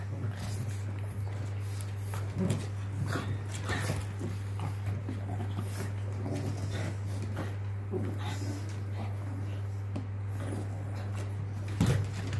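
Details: Two male Pekingese brothers, best friends, playing together make soft whines and low grumbling sounds over a steady low hum.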